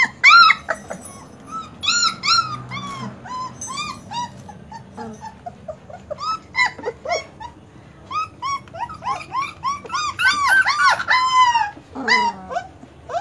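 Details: German Shepherd puppies giving scattered high whimpers and short yelps, sparse at first then crowding into a denser cluster of overlapping cries toward the end, with low background rumble.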